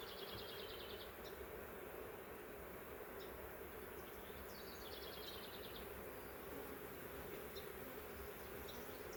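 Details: Honey bees from a huge swarm, caught in a swarm trap from a wild hive that had lived in the woods for three years, agitated after being driven up and transferred to frames; dense, steady buzzing hum throughout, with faint repeated bird trills behind.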